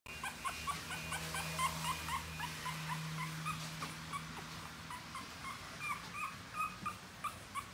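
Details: Newborn French Bulldog puppies in a small room, giving thin, high squeaky whimpers over and over, several overlapping at about four per second, with a steady low hum behind.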